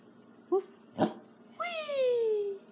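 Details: Female Welsh Corgi speaking softly on command after warming up her vocal cords: a short yelp, a brief huff, then a long tonal whine sliding slowly downward for about a second.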